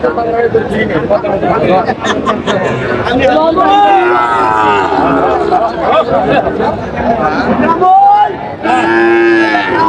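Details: Sahiwal breed bull calves at a Bangladeshi livestock market near Noakhali, recorded on a Saturday market day in July 2025; repeated deep mooing and lowing calls rise over steady crowd chatter and voices of buyers and sellers.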